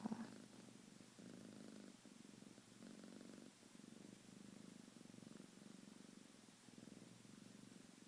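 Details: Shade the house cat purrs steadily after being woken from a nap, a low vibrating rumble rising and falling in bursts about once a second, with quiet pauses between breaths.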